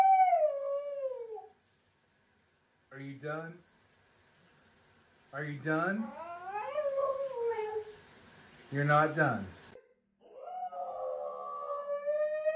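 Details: Pet female Siberian husky yelling at her owner, upset and demanding attention after he could not play ball while working; a falling drawn-out howl, then choppy yelping bursts and a wavering whine-howl, with music and a man talking back.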